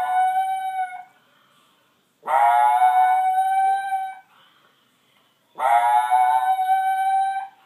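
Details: A young gray wolf (Canis lupus) howls over his mate in long, tuneful notes that swoop up quickly, hold steady, then fade.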